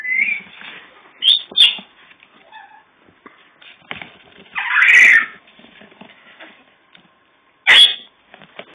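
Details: Young puppies shortly before adoption let out a breathy squeal, paired quick yelps, a long loud cry midway, and a final sharp yip, with soft rustling between calls.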